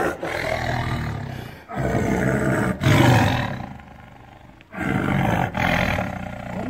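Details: A caged tiger in captivity gives deep, rasping roars in repeated bursts, each about a second long, sounding angry.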